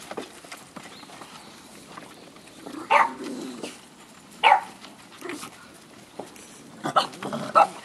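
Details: Siberian Husky puppy on its first time outdoors at a Hamamatsu, Shizuoka breeder, scolded by an adult dog after getting overexcited; short sharp yelping barks come in separate bursts, a pair around the middle and a close pair near the end, over quiet background rustle.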